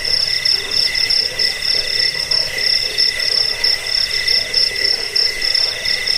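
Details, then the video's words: Cricket, played to scare rats, help sleep and train birds, giving a dense, high metallic trill that pulses in irregular surges, with a weaker lower-pitched band running alongside. "Suara jangkik pengusir tikus pengantar tidur"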